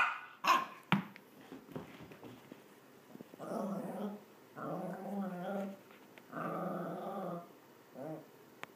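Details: A small male Maltese dog makes a run of long, tonal, rough, moaning growls, each about a second with short gaps, his playful "vicious" noises while playing fetch; sharp knocks and quiet words come first.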